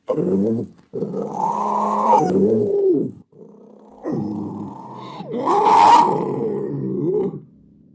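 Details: Panther growling: three long, harmonic, rasping growls, each roughly two to three seconds, separated by short pauses, the last rising into a harsher, snarling peak before fading.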